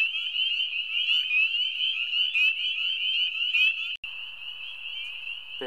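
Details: Spring peepers in full chorus at a spring wetland across a road, just after ice-out; countless high, piercing peeps overlap into a continuous ringing wall of sound.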